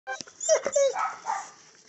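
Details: A neighbour's dog barking once more, a short harmonic yelp with a brief whining, tonal edge, lasting under two seconds against a quiet background.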